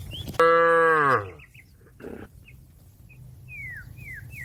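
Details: Cow in a field calling to a grazing companion: a single loud, full moo of nearly a second that swells and then drops away, followed by soft bird whistles, descending chirps and a faint low rumble.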